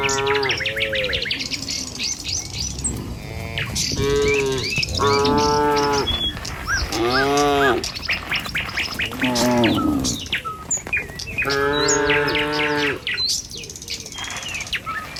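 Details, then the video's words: A herd of tame cattle driven along a village road one morning toward feeding fields. Repeated moos, some short and some drawn-out, come from several animals every couple of seconds, with busy bird chirping above. "Suara Sapi Moou Sepanjang Jalan Desa"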